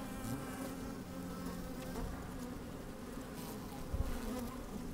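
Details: Honey bees busy at work inside an open hive on a fine, sunny day, microphone slid down among them; steady droning hum with bands near 200 and 250, low rumble of wind and occasional soft knocks.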